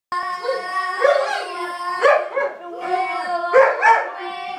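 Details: Weimaraner dog singing along, drawn-out wavering howls rising and falling in several long phrases over a steady sustained musical note with rich overtones playing throughout.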